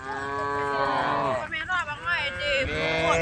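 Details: Cattle in a herd roaming the road, calling to the herd: long, drawn-out harmonic moos, several overlapping, one voice falling then wavering in the middle, heard against a steady background hum.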